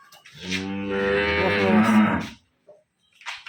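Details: Cow at a dairy farm in Khulna: a single sustained low moo of about two seconds, steady and rich in overtones, breaking off abruptly, followed by faint brief knocks.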